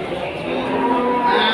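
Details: Pegon cattle at the Kliwon cattle market in Kudus, Central Java, a bull just sold; one sustained, droning moo with stacked harmonic tones, steady in pitch and slightly swelling in loudness toward the end, with faint crowd murmur around.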